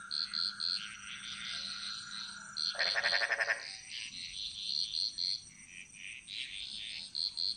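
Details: Frogs calling in chorus in the jungles of Bali: quick triplets of bright high piping notes repeat throughout, interrupted near the third second by a loud, lower, rapidly pulsed croaking rattle lasting under a second.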